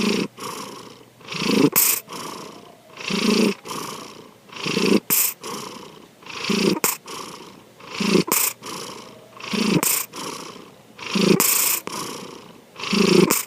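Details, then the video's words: Pet cat Sankichi snoring in its sleep: about nine rhythmic, husky breaths with a deep rumbling core. The breaths come every one and a half seconds, with brief silences between them. "三吉のいびき2 Our Cat, Sankichi snoring."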